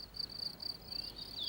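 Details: A male cricket sings near its burrow, since only males sing: high, bright pulses in quick bursts, made by a bow-like part rubbing the left wing. Crickets use this song to communicate, and it guides the female to the male.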